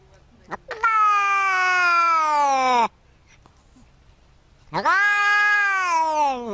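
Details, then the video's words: Domestic cat giving two long drawn-out meows, each about two seconds, strong harmonic and slowly falling in pitch, separated by a short silence; a brief squeak precedes the first. "very funny cat meows"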